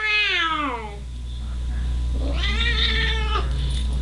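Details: Female house cat complaining while staying at a house she hates; a long descending wail followed after a pause by a second nasal meow, with constant low droning hum and faint music behind.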